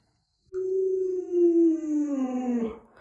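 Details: Alaskan Malamute Lolo, a family pet, lets out a single sustained howl of about two seconds. The clear, rich-toned note holds steady, then drifts lower before breaking off, with the room otherwise quiet.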